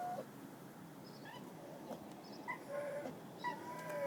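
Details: Lonely dog crying: a series of short, thin whimpers, some sliding up and some down, scattered over four seconds against a faint, steady background hiss.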